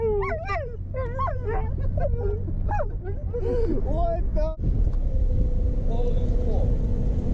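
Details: A Siberian husky, set off by police and ambulance sirens while being driven through a neighbourhood, howls in wavering, yodel-like rising and falling notes over a low engine rumble.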